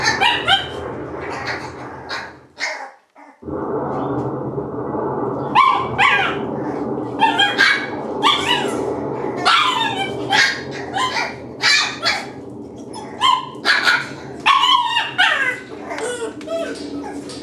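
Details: Shiba Inu puppies giving a busy mix of short sharp yelps and thin whining cries, often overlapping, over a steady low background hum that drops out briefly near the start.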